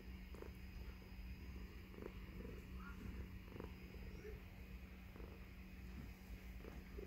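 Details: Indoor tuxedo cat, female, purring contentedly as she lies in her owner's beard; steady low rumble throughout, with faint rustling clicks and a man speaking softly.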